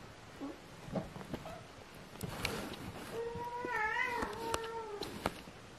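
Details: Kitten Aria lets out one long meow that holds steady, lifts briefly in the middle and trails off. Shuffling and scratchy handling noises surround it, with sharp clicks during and after.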